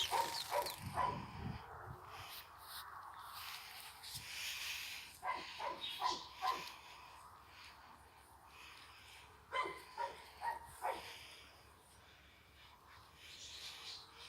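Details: Several chocolate Labrador Retriever puppies yipping in three bursts of quick, high barks separated by quieter pauses with soft rustling.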